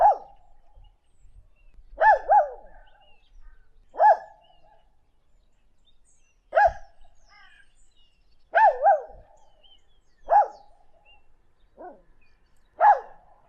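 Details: Single dog barking in sharp, clipped yelps, some doubled, roughly every two seconds, with faint thumps between barks and otherwise quiet surroundings.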